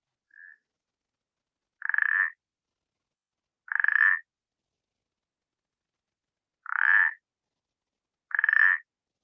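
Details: Common parsley frog, a very small toad, whose song is likened to pétanque balls knocking together. Four creaky, slightly rising croaks of about half a second come at uneven intervals of two to three seconds, after a faint short note.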